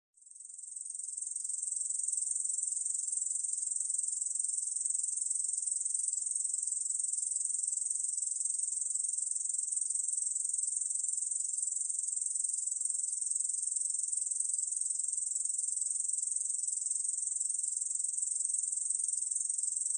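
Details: Korean bush cricket singing in a 2020 recording from Korea's National Institute of Biological Resources: a continuous, high, hissing buzz made of rapid, even pulses that swells in over the first two seconds and then holds steady throughout.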